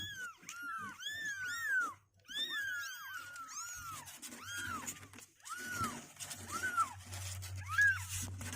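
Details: Several two-week-old kittens, day 16, legs growing stronger and refusing to stay in their box, mewing indoors: overlapping high, arched cries, many in quick bursts, then spaced single mews, over a steady low hum.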